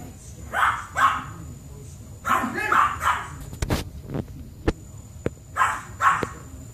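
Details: Yorkshire Terrier indoors, running circles around its owner at bedtime and not ready to go to bed; short sharp barks in pairs, four bursts over about six seconds, with faint clicks and knocks between them.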